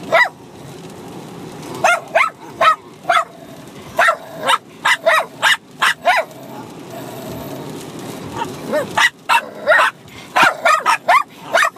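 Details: Two Bichon Frise dogs, a six-month-old puppy and an older dog, bark at each other while fighting and playing at once; sharp high yips come in quick bursts with short pauses and a quieter stretch in between.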